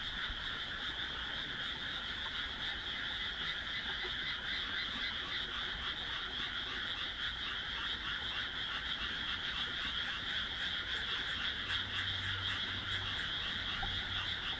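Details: Many frogs croaking together at dusk in a newly planted rice paddy between houses, June 2012; continuous dense chorus of rapid pulsing croaks, roughly three per second, layered into a steady throb.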